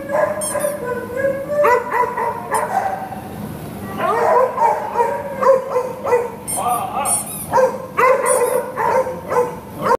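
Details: Doogie, a long-coated Chihuahua up for adoption, gives bursts of high-pitched yipping barks in quick runs, broken by short pauses, with a few whiny, drawn-out tones and faint music underneath.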